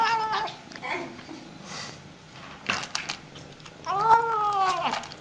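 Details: Cats at feeding time give several meows: short wavering cries early on, then a louder, drawn-out meow that rises and falls toward the end, with faint clatter and rustling between calls indoors.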